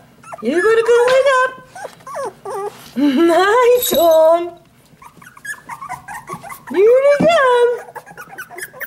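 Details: Two-and-a-half-week-old puppies in a whelping box crying out as their mother comes to nurse; drawn-out arching wails that climb and sag, repeated with short squeals in between, and a person's voice throughout.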